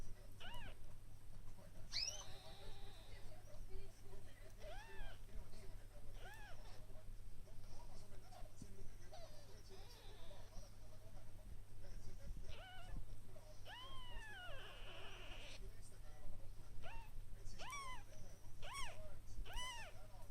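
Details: Newborn kittens, one day old, mewing repeatedly in thin arched cries that rise and drop, spaced irregularly a second or two apart, over a constant low hum with faint background noise.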